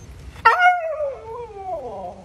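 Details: Pet Siberian Husky howling back while being called inside: a sudden loud onset, then a long drawn-out wail that slides downward and wavers up and down for nearly two seconds.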